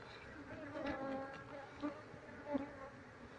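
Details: Honey bees humming while a colony is shifted into a cardboard box after the queen is located; a short stretch of droning, tonal buzz with brief louder surges.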